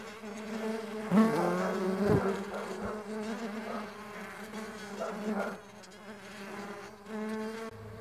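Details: Buzzing of Mandaçaia stingless bees in flight, a low harmonic drone that swells as a bee passes close, bends in pitch, then fades and returns, with a couple of sharp taps.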